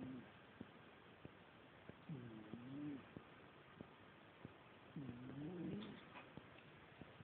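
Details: Old female cat snoring while asleep: faint, low, wavering purring breaths roughly every three seconds, with soft regular clicks between them in a quiet room.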